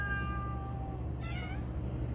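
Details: Indoor domestic cats resting together: a faint, thin tonal meow at the start, then a brief rising-falling meow near the middle, over a steady low hum.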